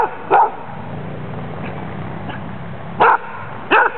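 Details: Female dog undergoing a Danish Kennel Club temperament test on 14 April 2007, described as playful and friendly with strong hunting drive. One loud bark opens, faint yips follow, then two more strong barks come near the end.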